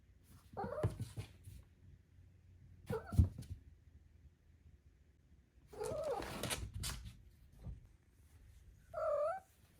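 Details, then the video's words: Indoor four-month-old female Maine Coon kitten making little trills and chirps: four separate bursts, some sliding up then down, the last a steady higher-pitched chirr, with quiet room background between. "4 Month Old Maine Coon Kitten Makes Cute, Funny Sounds"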